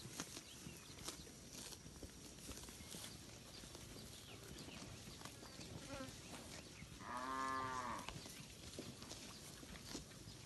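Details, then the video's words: A single full-throated moo lasting about a second rises from village cattle grazing among thousands in a green rice field, with crackling, rustling ambience around it. "suara sapi moo"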